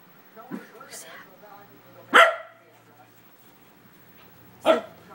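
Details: A corgi seeing himself in a mirror for the first time gives sharp, explosive single barks spaced a couple of seconds apart, with softer, lower sounds, possibly a human voice, between.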